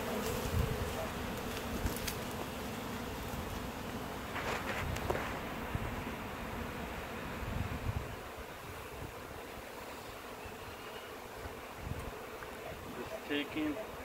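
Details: A swarm of 20,000–30,000 honey bees from a one-year-old hive, on a June morning, being scooped by hand into a box with their queen, gives a steady, low droning hum with louder buzzes of passing bees; bees fanning.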